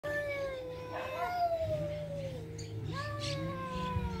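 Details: Cats fighting: long drawn-out yowling wails with sliding pitch, one sustained howl bending downward then rising again, over a steady low hum in the background.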